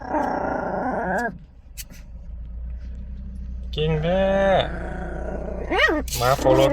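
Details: Chihuahua defending the car: a rough growl at the start, a quiet pause, then a louder growl with rising and falling whining inflections, overlapping human voices and a steady low hum.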